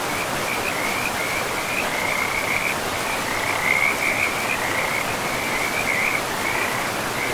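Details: Frogs in a mossy forest beside a river, giving a continuous string of shrill, pulsing chirps at a steady high pitch, heard through the roar of the flowing river.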